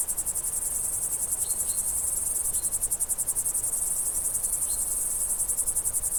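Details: Countryside crickets on a summer day, continuous rapid high chirping pulses, joined by a few faint, brief whistled bird notes in the background.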